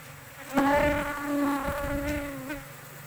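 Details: Asian honey bee at a large colony found in an oil palm plantation; a close, steady buzzing hum with rich harmonics swells in for about two seconds, wavers slightly, then fades against a soft background drone.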